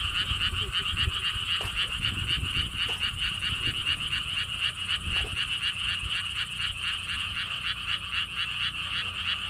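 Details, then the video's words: Chorus of frogs at a lotus pond park in Siheung, Korea, near a stone wall path: steady pulsed croaking about four times a second, many callers overlapping into a continuous buzz, light wind noise below. "개구리 소리"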